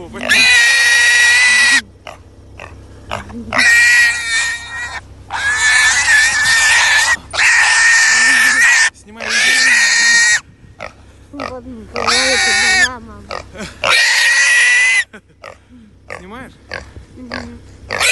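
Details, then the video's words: Wild boar being caught by hand, giving loud, harsh, drawn-out squeals lasting one to two seconds each, repeated with short breaks, mixed with people talking in Russian. "to catch a wild boar with hands"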